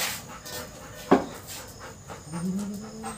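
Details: Arjun, a Labrador Retriever, waits at home for his brother to return from school, panting in quick regular breathy bursts about twice a second, with a sharp knock near the middle and a rising whine-like tone toward the end over low background hum.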